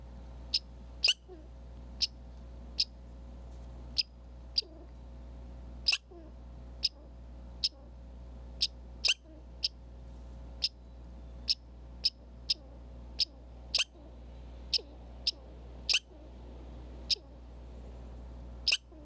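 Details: Red squirrel at a Minnesota backyard feeder and critter cam stocked with corn, seed and suet; sharp, high, clicking chucks repeat about once a second, roughly twenty in steady series, over a constant low electrical hum.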